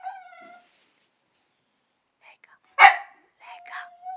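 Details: Dogs Chester and Laika, refusing to get off a terrace they are not allowed on, argue back: a drawn-out whiny howl with stacked harmonics, a pause, one sharp bark, then another whine, while a person repeats Romanian commands.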